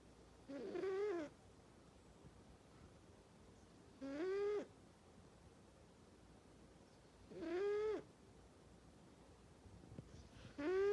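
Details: A domestic cat snoring loudly in its sleep, four even, whistle-toned snores roughly every three and a half seconds, each swelling up and dipping down in pitch, near-silent breathing in between.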